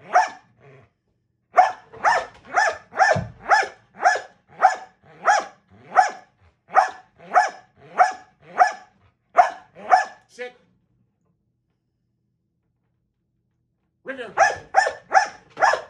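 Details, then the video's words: Dog in box work training barking in a fast, insistent volley of roughly seventeen sharp barks, then a pause of several seconds, then another quick burst of four barks. "Box Work Barking"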